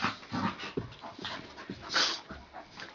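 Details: Puppies wrestling and playing together indoors, one tugging at her brother's ear; short whiny growls and yips come in quick uneven bursts, mixed with scuffling and panting.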